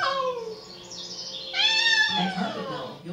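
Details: Seven-month-old blue-eyed white Persian kitten, male, crying non-stop for his absent mother indoors: drawn-out falling meow, then a louder rising-falling wail, with a low background hum.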